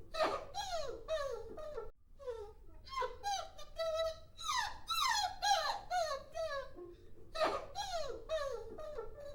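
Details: Puppies whining and crying: a fast run of thin, high whimpers, each sliding downward in pitch, some overlapping, broken by short gaps near two and seven seconds, in a small indoor space.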